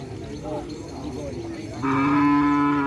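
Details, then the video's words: Small cattle shown at a silaturahmi gathering: after murmuring crowd voices, a loud, steady, flat-pitched moo starts abruptly and holds to the end. "Sapi Kecil Yang Mempunyai Sekon Bagus"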